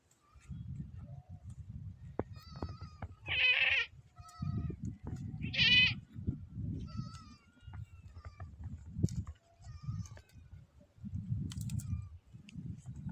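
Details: Hungry male goat eating a tree in the desert gives two loud harmonic bleats around the middle, with fainter wavering calls before and after and steady low rustling and chewing noise throughout.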